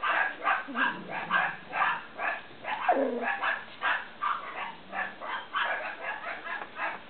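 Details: Several Cavalier King Charles Spaniel puppies from Danny and Daisy II yipping steadily, short bright barks repeated about twice a second, with a brief lower squeal midway.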